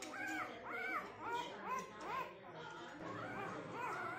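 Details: Siberian husky puppy voicing short, arched, whining yowls that rise then fall, repeated roughly every half second in a chatty series over a low background hum.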